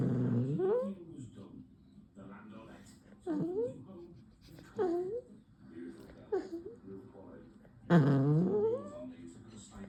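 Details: Poodle puppy making funny noises, from angry to cute: a short low growl followed by about five brief, upward-swooping yelping whines spaced roughly one to two seconds apart in a quiet room.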